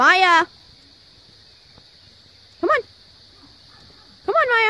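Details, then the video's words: Pet Siberian husky named Maya calling to the Australian cattle dog Jo to get off the play set and come play. Three separate bursts of bright, wavering, whiny yowls, each brief and about two seconds apart, with a steady high hiss behind. "Siberian husky telling Australian cattle Dog to get down!"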